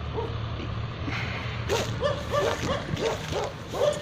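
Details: At Naaz Kennel, Khanna, Punjab, with Tibetan Mastiffs and Gaddi dogs, a quiet start gives way to a run of loud, regular woofs roughly every third of a second.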